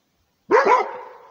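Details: A single loud, ringing bark from a Rhodesian Ridgeback guarding its territory, a sharp double-peaked onset trailing off into a fading echo.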